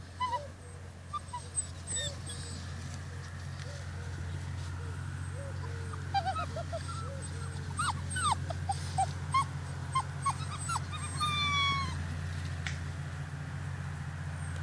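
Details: Rhodesian Ridgeback puppies on day 44, in their after-dinner lounge before being taken inside for the night; quiet scattered whimpers and short high yips over a strong steady low hum, busiest in the middle stretch.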